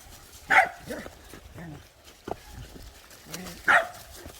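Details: Welsh Corgis, one of eight, out on an autumn mountain hike; two short sharp barks about three seconds apart, with a person calling the dogs in Korean and footsteps between.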